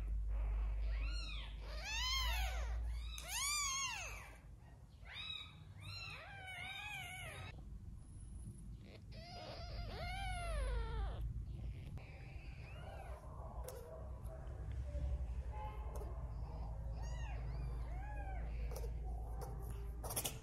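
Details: Newborn kittens with their mother cat, the kittens being hand-fed because the mother's milk is not enough; a string of thin, rising-falling meows, several per second in bursts over the first ten seconds, then quieter mews under steady low background hum.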